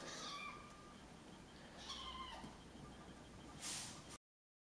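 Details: Kitten Minka meowing in complaint when rough play with Puma gets too wild; several short, high, harmonic meows early and near two seconds, then a brief loud rustling burst before the end.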